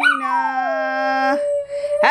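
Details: Oliver the Schnauzer howls along while people sing Happy Birthday. A long, drawn-out howl slides downward and then holds steady. A lower, steady human singing voice runs beneath it.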